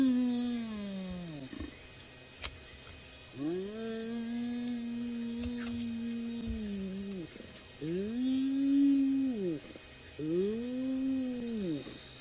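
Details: At night on Djuma, near an elephant carcass, a spotted hyena behind the vehicle gives long, hollow, tonal low contact calls that swell, hold, then dip, repeated with brief pauses; such calls are usually heard around dens.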